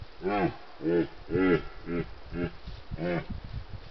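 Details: A red deer stag (Cervus elaphus), recorded by a wildlife monitoring camera in Retezat National Park, Romania, during the rut, gives a run of deep, groaning roars, about one every half second.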